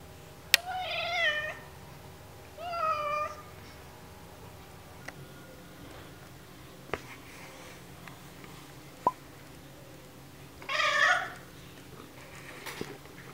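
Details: An indoor female cat protesting while having her ears cleaned, which she dislikes; three short, wavering, nasal whines, two close together early and one louder after a long pause, with small clicks and handling noises.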